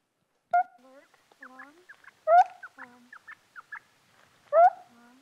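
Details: Meerkat (Suricata suricatta), call.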